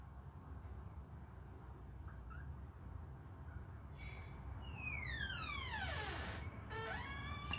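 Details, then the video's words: Hungry baby kittens suckling on a finger give a drawn-out, harmonic meow that sweeps steeply downward from high to low pitch, followed by a shorter cry near the end, over a low indoor rumble. "babies hungry they suckle my fingure"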